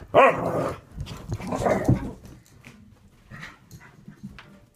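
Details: Dogs at play giving two short, loud, harsh barks about one and a half seconds apart. Softer scuffling and small noises follow, and a person exclaims at the end.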